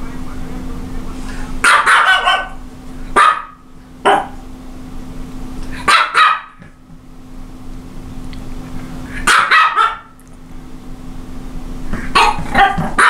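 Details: Japanese Chin giving repeated high, sharp barks in short clusters every few seconds, some doubled, with quieter pauses between bursts and a constant low hum underneath.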